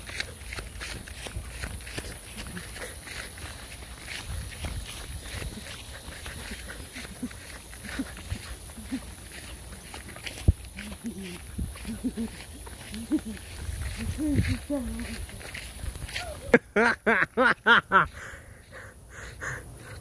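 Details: Dog outdoors in a garden with insects nearby; quiet rustling and soft pitched whines build up, then a burst of four or five rapid, loud, harsh barks in quick succession near the end over a steady high insect hiss.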